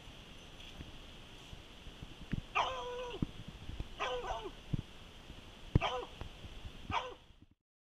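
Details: Female Treeing Walker Coonhound, a rescue, bays at a tree after trailing a scent while leaping toward it; four harmonic bawls, roughly one per second, each wavering then dropping, over dull thuds, rustling and constant hum.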